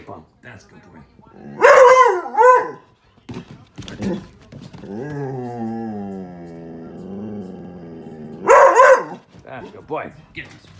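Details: Doberman and Border Collie mix dog sounding its alarm at the mail carrier: two loud bursts of sharp barking near the start and the end, a long drawn-out whining tone between them, with a human voice and music in the background.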